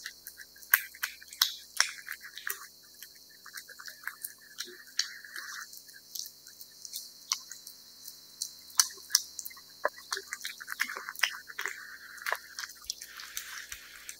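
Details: Steady feeding by a cat on wet food, a long stretch of moist smacking, licking and chewing clicks in irregular bursts, occasional louder bites, against a light background hiss indoors.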